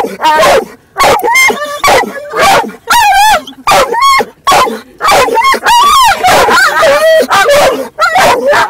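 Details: Dog in a car making funny barking sounds as another dog shifts about: wavering, wobbling whines and yelps mixed with abrupt barks in a fast, uneven stream, with voices possibly blending in.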